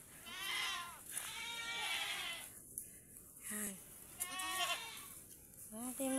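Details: Domestic goats kept tethered on a farm where they graze on grass; several wavering, quavering bleats rise and fall in two long bursts and a shorter one, with a person talking between them and faint background music.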